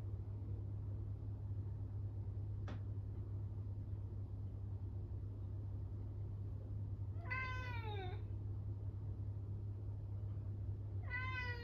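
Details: Norwegian Forest Cat meowing loudly from loneliness while its owner is away, indoors; a brief click early on, then one arching harmonic meow, and a second meow cut off at the end, over a constant low hum.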